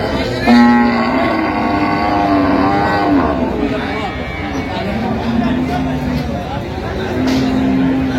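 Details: At Ambari haat in Dinajpur, 31 October 2025, cows with calves give repeated short, level low moos at intervals of a few seconds, surrounded by busy market talk and background bustle.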